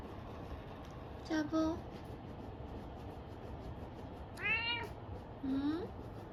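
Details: Jealous domestic cat indoors, reacting while another cat is held in a hammock; three meows, two brief rising calls and a longer arched harmonic meow between them, over soft room noise, a woman talking nearby.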